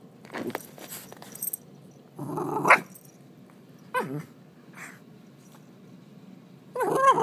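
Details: An eight-month-old Shiba Inu making rough growling grumbles and short harsh noises in scattered bursts, with quiet pauses between and a louder burst at the end.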